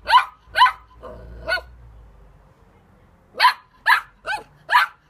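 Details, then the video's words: Puppy barking: two sharp yaps, a softer one after a low rumbling pause, then four quick barks in close succession, with faint low background hum between them. "PUPPIES BARKING"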